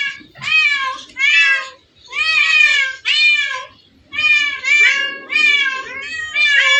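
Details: Cats crowded together in a place full of hundreds of playful cats: paired bursts of bright, wavering meows, two quick ones, a pause, then more in clusters, with soft murmuring faintly underneath.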